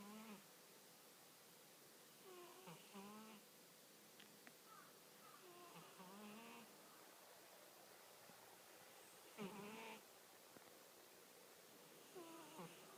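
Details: Sleeping American Shorthair cat snoring at home: soft, breathy snores with faint wavering whistled tones, recurring roughly every three seconds at low volume in a quiet indoor room.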